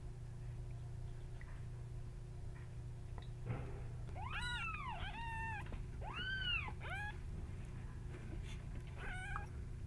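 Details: Tiny kittens indoors give a string of high, arched meows, each rising then falling, about four close together midway and a short squeaky one near the end, over a low steady room hum.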